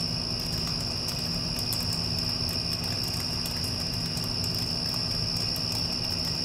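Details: Following a passing storm, crickets keep up an even, sustained high-pitched buzz. A deep humming air conditioner blankets the low end, with occasional faint taps and clicks.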